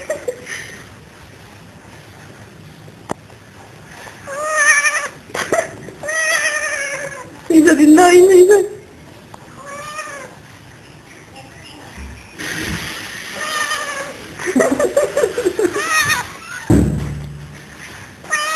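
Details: Pet cat in a dorm giving yodel-like calls: several wavering, drawn-out meowing yowls with sliding pitch, mixed with human talking and some handling noise in the room.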